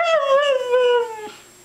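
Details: A pet Siberian Husky "talks" back to its owner's repeated "I love you" with a drawn-out, rich, howling tone lasting just over a second, slowly falling in pitch, then fading.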